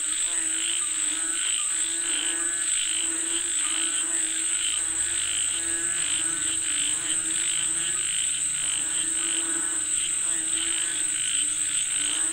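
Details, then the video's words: A chorus of frogs said to be calling for rain. Many rapid, ratcheting croaks overlap in rhythmic bursts over a constant shrill high-pitched drone, with a faint low hum partway through. "Listen to the Sound of Frogs Calling For Rain 🌧️🐸 เสียงกบเรียกฝนตก"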